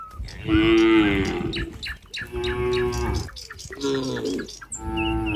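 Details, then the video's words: Cows crowding near a barn in the countryside while a cowherd approaches: three or four overlapping moos follow almost without pause, the first loud and drawn out, with clattering knocks and a few high bird chirps in the background. "the sound of cows"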